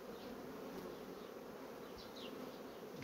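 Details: Fast-developing honey bee colonies give an even, unbroken low hum. Faint high, slurred chirps are heard in the background toward the end.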